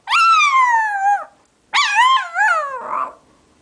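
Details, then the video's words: Pet dog singing with its owner: a long howl gliding steadily downward, a pause, then a second howl with wavering ups and downs ending in a rough, breathy tail. "Cute dog singing"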